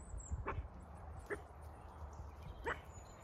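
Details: Farm dog on a regenerative sheep farm in County Kilkenny, Ireland, barking at cows in the neighbour's field during rain; three short sharp barks spaced about a second apart over low rumbling background noise.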